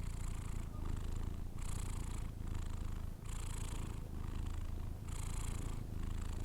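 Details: Low rumbling snore of a Persian cat while sleeping. Each airy inhale and exhale repeats roughly every one and a half seconds over a constant deep hum.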